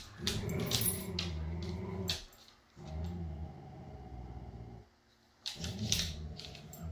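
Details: Jude, a Siberian Husky up for adoption from Pet Harbor Rescue, joined by his foster siblings indoors: low, rumbling, harmonic grumbles in three drawn-out bursts of about two seconds each, split by short pauses, with scuffing clicks over the top.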